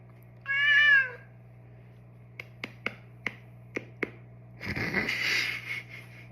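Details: Male domestic cat indoors during a playful neck and paw massage gives one clear, wavering mewed cry, followed by a series of sharp clicks spaced about half a second apart and a burst of rustling noise over a steady low hum.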